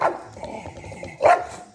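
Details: English Bulldog barking at a hair clip it finds threatening, one short loud bark near the end after low grumbling, with a person speaking to it.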